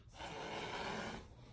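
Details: Cat hissing at a blower: a single breathy, forceful hiss lasting just over a second, rough and noisy across a wide range, then cutting off abruptly.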